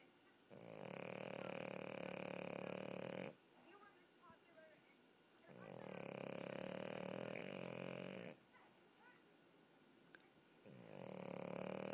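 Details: French Bulldog (Canis lupus familiaris), snoring.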